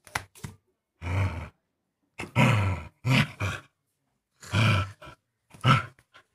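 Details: Playful Indian pariah dog growling indoors; half a dozen rough, low, throaty bursts, each under a second long, separated by short silences, with no other sounds.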